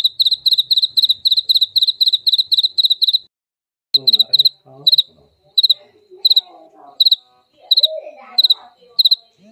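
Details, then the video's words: Jaliteng cricket, played as a mouse repellent: shrill, high-pitched pulsed chirps in quick regular bursts for about three seconds, a brief silence, then sparser chirps over faint lower rustling and murmuring sounds. "Suara jangkrik jaliteng ampuh pengusir tikus"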